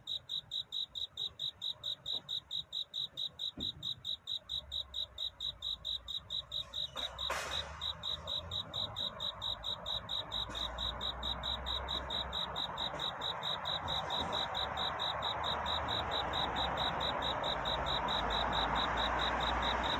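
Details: Night cricket singing in courtship before dawn: steady high chirps about four per second, a few sharp clicks early, then a rising broad hiss swells through the second half and partly covers the song.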